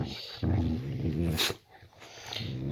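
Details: Layla, a pet Boxer dog, growls at bedtime in a bedroom; a low, rumbling growl sustained for about a second, then a brief sharp noise and quieter grumbling.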